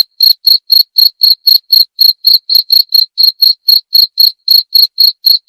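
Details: Cricket chirping steadily, about four short, bright, high-pitched pulses per second in an even rhythm, with a fainter higher overtone on each chirp; no other sounds.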